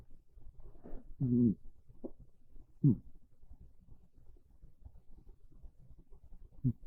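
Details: Sleeping on a bed during a cold, rainy early afternoon, the house cat Monta snores softly: a longer low, throaty rasp, then several shorter breathy snores spaced a second or more apart, in a quiet indoor room.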